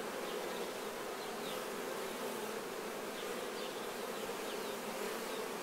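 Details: Honey bees clean themselves of nectar while honey is harvested; their massed wings give a steady, level drone, with faint brief chirps scattered over the hum.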